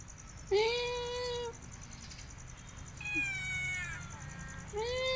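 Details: ['Pet cat meowing three times: a clear, full meow that swells then levels off, a higher, thinner meow that slides downward, and a final rising meow cut off at the end; quiet background hum throughout.']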